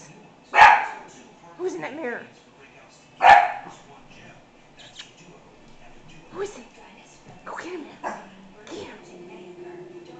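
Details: American Hairless Terrier puppy worked up at seeing its owner in the mirror: two sharp barks followed by wavering whiny yelps and softer whimpers, with faint room noise.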